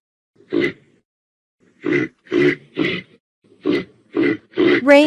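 A reindeer gives seven short, hoarse grunts, each a quarter-second burst, spaced unevenly over about four seconds and ending in a brief rougher, tonal note.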